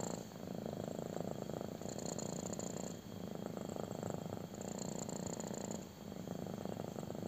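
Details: Domestic kitten purring intensely while getting a belly rub, close up: a continuous low rumbling purr in long phrases, with brief dips in loudness near three and six seconds as it breathes.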